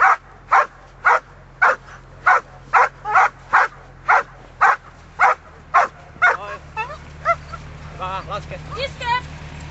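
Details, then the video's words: Giant Schnauzer, aged 1 year and 7 months, in bitework training, gives a steady run of sharp, evenly spaced barks about twice a second, then shifts into higher, wavering whines and yelps toward the end. "Riesenschnauzer Thora attacks"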